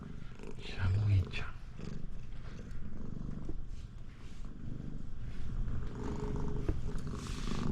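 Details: Pet Siamese cat purring loudly to keep its owner from getting into the bath; continuous low, throbbing purr under a person's short spoken words near the start.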